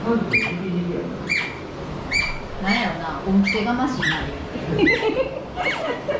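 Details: Asian small-clawed otter named Yui, kept at Ise Sea Paradise aquarium in Japan, eating heartily; sharp, high squeaky chirps repeat roughly once a second, each dropping quickly in pitch, while human voices murmur underneath.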